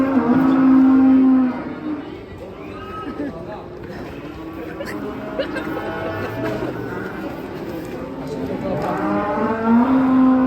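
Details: Cattle wearing a mask, raging as it leaves a truck: a loud, flat, sustained low moo opens and closes the stretch, with quieter lowing, chatter and engine sound in between.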